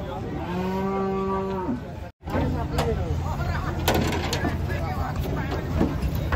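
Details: Cattle being taken off a truck: a clear low moo of just over a second opens, followed by a sharp break and then clattering, thumps and busy crowd noise.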